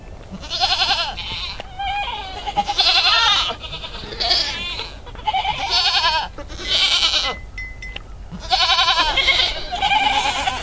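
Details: Baby pygmy goats for sale in Fort Smith, Arkansas, bleating repeatedly: loud, quavering, harmonic bleats in bursts about every one to two seconds, several voices overlapping, with a brief steady tone near the eighth second.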